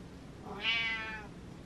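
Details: Pet cat Butters answering its owner with sparrows outside the window: one bright, drawn-out meow that swells quickly and fades over about half a second, with a soft room hum behind it.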